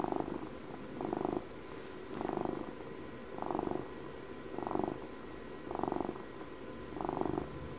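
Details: Pet cat purring up close, a rhythmic rumble that rises with each breath about every 1.2 seconds, six swells in a row, softer purr continuing between them; quiet room with faint hum.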